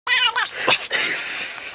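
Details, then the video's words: Domestic cat making a funny noise indoors: a brief harsh, wavering caterwaul with a strained meow, breaking into a raspy, noisy drawn-out cry. "Funny cat noises"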